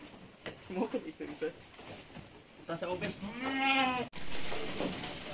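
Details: Goat at a Negros Occidental farm in the Philippines during the weaning of kids: a man talks in Filipino, then a single loud, trembling bleat rises out of the speech, followed by noise.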